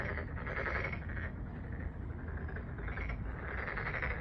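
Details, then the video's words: Massed frog chorus at a park pond in Jeonju, Korea, with clusters of louder rattling croaks swelling and easing every second or so over low rumbling noise. "덕진공원 개구리 소리"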